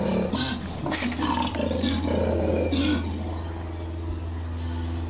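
A koala gives a deep, rasping bellow of rapid snoring pulses, alternating throaty grunts and a low droning rumble for several seconds.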